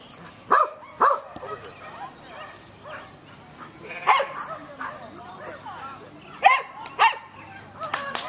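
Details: Samoyed named Irish (GCh. Vanderbilt's Stroke of Luck), untrained and meeting sheep for the first time at an AKC herding instinct test, Keepstone Farm near Berryville, Virginia, June 15, 2013: sharp barks in close pairs, with people talking nearby.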